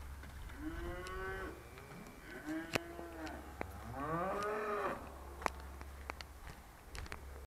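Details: Trained Charolais cattle lowing in 2017 while their owner calls them; several quieter, rising-and-falling moos overlap, with sharp clicks and a constant low hum in the background.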